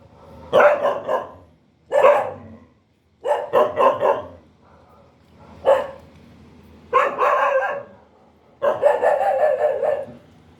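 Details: Dog barking repeatedly over ten seconds, bursts of two to four rough barks grouped together with gaps of about a second between groups, the last burst drawn out and louder.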